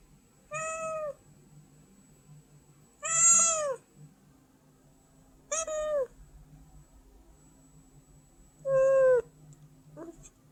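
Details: White house cat begging for food indoors: four separate meows spaced about two to three seconds apart, short and falling in pitch, over quiet background music.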